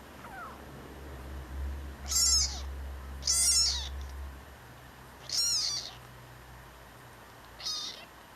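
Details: Talkative rescued tabby kitten, newly adopted, meowing in high, thin, alien-like cries: four short strained meows spaced one to two seconds apart, over a steady low hum indoors.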